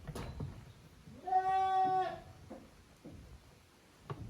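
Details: A young goat playing in a farm's exercise yard with kids from two families, Japan, June 2023; a single clear, steady bleat of under a second, followed by soft knocks and quiet.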